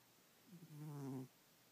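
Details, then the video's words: A house cat asleep at night gives one short, low, nasal snore. It is a humming tone with stacked harmonics that lasts under a second in an otherwise quiet room. "SNORING CAT"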